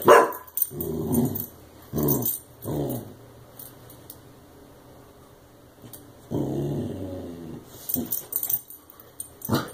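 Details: Clumber Spaniel puppy Brodin facing a compressed air can after being sprayed for chewing it; low rumbling growls in long bursts with short barks between them, and a hiss of background noise.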